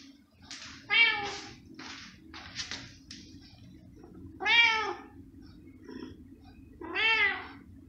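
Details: House cat waiting for cooked pork ham: brief chirpy mews lead into three strong, wavering meows roughly every three seconds, each arching in pitch, with a faint steady hum underneath.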